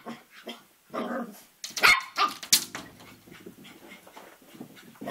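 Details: A Cavalier King Charles Spaniel puppy about three and a half months old plays with his reflection in a mirror: short, rough growls broken by sharp, yappy barks.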